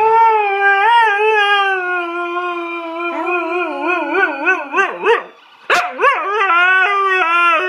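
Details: Tifa, a dog, howls long and steadily, then into a rapidly wavering, yodel-like stretch, a short break with a sharp yip, and a final level howl.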